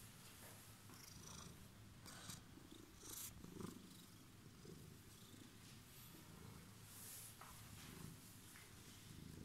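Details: Homeless cat waiting on a stairway, purring steadily: a dense low rumble fills the bass throughout, with faint scattered clicks and rustles higher up.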